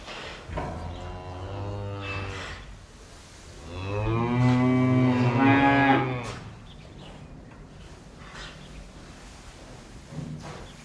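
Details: In the morning a cow gives two drawn-out moos, the second louder and rising into a strained, wavering bellow.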